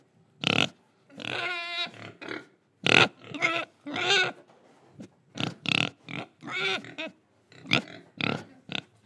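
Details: Indonesian pig grunting while breathing and eating: a steady series of short, snorting oinks, with one longer tonal, whining squeal near the start, rising and falling with clear harmonics.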